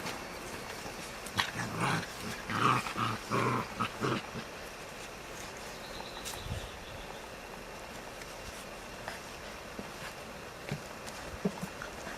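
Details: A six-to-seven-week-old Caucasian Ovcharka/English Mastiff puppy utters a quick cluster of short, rasping yelps and growly barks over about three seconds, followed by quiet room background.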